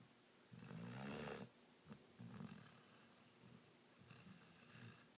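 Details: A Rhodesian Ridgeback puppy snores while asleep, one strong gravelly breath early on, then weaker rattling snores and a soft snuffle toward the end.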